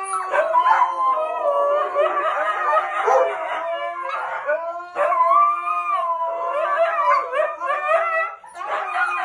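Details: Domestic dog giving a run of quavering howls, several wailing tones stacked and sliding together, in phrases a few seconds long separated by short breaths.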